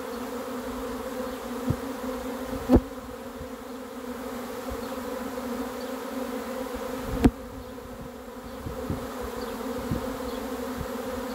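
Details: Swarm of honey bees arriving, expected while catching it: a steady, dense droning hum with layered bands, unbroken for the whole stretch, with a couple of sharp clicks or knocks and faint low thumps beneath.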